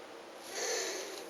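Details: Elongated tortoise, captive, making a weird noise while mating after a week of courtship: a short breathy, hissing wheeze that swells midway and fades, broadband and airy with no clear tone, indoors.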